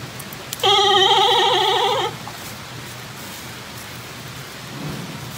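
A giant panda gives a single wavering, goat-like bleat lasting about one and a half seconds.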